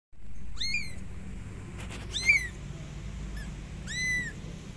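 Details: Kitten calling for its mother cat, which comes to help: three high, arched meows with bright overtones, about one every one and a half seconds, plus a few sharp clicks over a low steady rumble.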